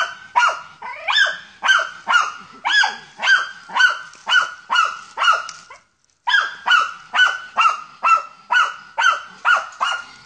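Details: German Hunting Terrier. A German Hunting Terrier gives a fast, regular series of sharp, ringing barks, roughly two per second, with one brief pause. This insistent barking is the dog baying at wild boar during a hunt.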